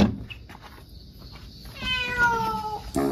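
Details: Recently neutered black-and-white stray cat on a narrow ledge outside a home; a single long falling wail after quiet rustling, followed by a short knock.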